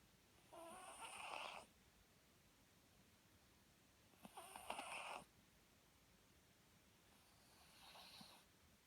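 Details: Papillon dog asleep, snoring: three broad, rasping snores at roughly 0.5, 4.2 and 7 seconds, each about a second long, the last one softer, with quiet pauses between breaths.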